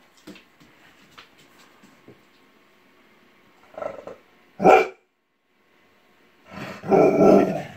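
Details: Sam, a pet dog, barks at a plush Snoopy toy that has sat on a shelf for months; he hates it in sunglasses. After faint early sounds come a short bark, a sharp loud bark, then a longer harsh bark.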